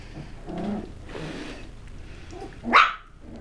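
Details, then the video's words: West Highland White Terrier puppies indoors, low growling followed by a sharp, loud high bark near the end, with faint rustling in the background. "Puppies - Tricks and Threats - West Highland White"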